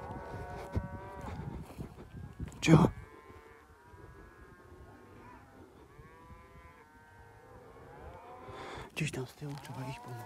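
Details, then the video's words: Cattle in Poland panicking and defending themselves after wolves seized a calf: drawn-out harmonic moos overlap through much of the scene, with a man talking and loud bumps near the start and end. "krowy już się bronią i panikują"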